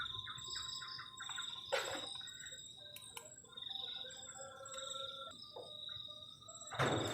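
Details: Crickets on a cold night at a garden shelter on a forest edge during solo camping: a steady high-pitched trill that pulses in short bursts, with lower tonal notes underneath and sharp knocks and clatter from camp activity.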